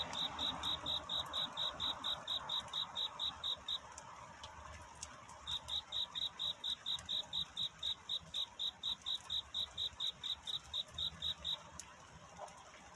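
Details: High, clipped cricket chirps in a nighttime courtship song, a run of regular pulses that stops for about two seconds, then starts again at the same fast, even pace before fading out.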